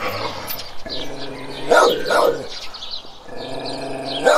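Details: Barking from a large guardian dog: a pair of heavy, coarse barks close together, a quieter pause, then a final loud bark, with a continuous low humming tone underneath.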